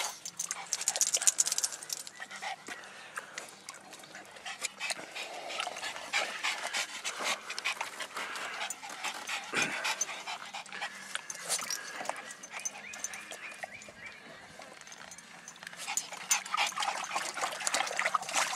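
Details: Reese, a female miniature dachshund on her first time in a pool, bites at the water. Quick, irregular panting mixes with sharp splashes and slaps of water, and people talk and praise her in the background.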